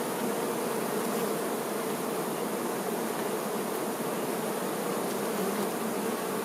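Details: Many worker honey bees taking care of the queen produce a thick, even buzzing hum that holds level and unbroken from start to finish.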